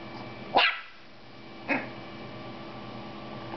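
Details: Hima, a young female Toy Poodle, yaps at her reflection in a mirror for the first time. Two short, sharp barks about a second apart, then quiet room tone.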